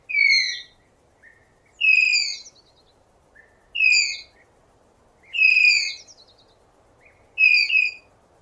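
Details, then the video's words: A tapir in natural habitat producing loud, shrill squealing whistles, five main calls about 1.8 seconds apart with faint short chirps between them, each note slightly falling and layered with overtones, over quiet hiss. "Real Tapir Sounds | High Quality | Strange Tapir Sound Experience!"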